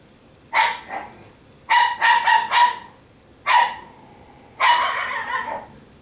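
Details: Pet Italian Greyhounds at home on laundry day, barking in short bursts: a double bark, then a quick run of four, a single bark and a longer drawn-out bark, with quiet gaps between.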